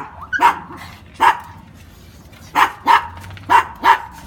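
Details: Brussels Griffon dog in Veracruz giving six sharp, bright barks over four seconds, singly and in quick pairs with short pauses between, against a quiet background.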